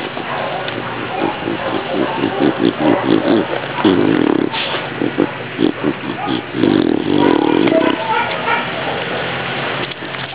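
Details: A female beagle sniffs in quick, rhythmic snorts, then gives longer grunting snuffles that sound remarkably pig-like.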